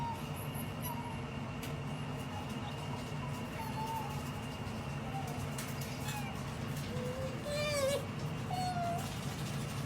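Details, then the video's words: Two otters, Maiko and MaiJi, making their funny noise when they feel sleepy: thin, high squeaky chirps, some sliding up or down, scattered through, with a brighter cluster near the end, over a steady low hum. "Otter Maiko and MaiJi's makes funny noise whenever they feel sleepy"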